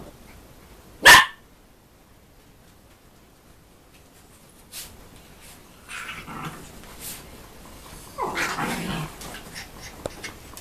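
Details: Schnoodle, a Poodle and Schnauzer cross, giving a single sharp, loud bark early on, followed by quieter rustling and handling noises.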